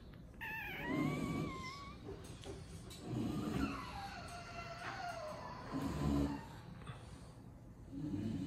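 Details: Lilac AKC English Bulldog in Miami giving high, thin whines that rise and bend, mixed with low snorting breaths in bursts roughly every two to three seconds, indoors with no other clear sounds.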